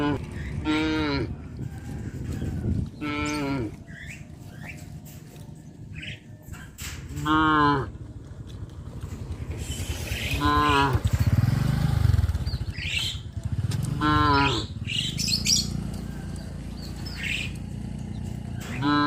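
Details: Cows being led to the pen by a farmer in the evening moo repeatedly, long harmonic lowing calls rising and falling every few seconds.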